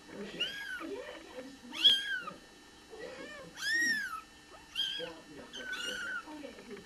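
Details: Newborn Bengal kittens coming into the world give loud, drawn-out arched mews, about five in seven seconds, some rising then falling, over soft human voices in a small room.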